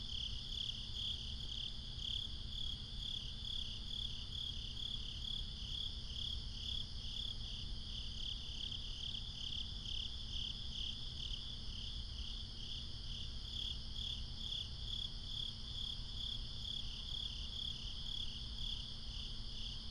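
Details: Crickets calling at night, binaural recording: a steady train of high, pulsed chirps repeating in rapid, even bursts, with fainter higher-pitched insect trills layered above and a constant low rumble underneath.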